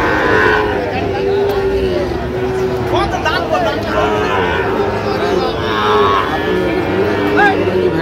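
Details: Several drawn-out moos rise and fall among Sahiwal cattle at a Kishoreganj cattle market in Bangladesh, 10 October 2025, where Sahiwal bull calves are traded. Steady crowd chatter and haggling voices run underneath.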